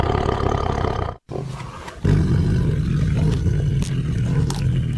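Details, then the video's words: Low rumbling growl from a tiger, a brief break, then a steady, pulsing deep growl with little high-pitched sound. "Awesome Tiger Voice Sound"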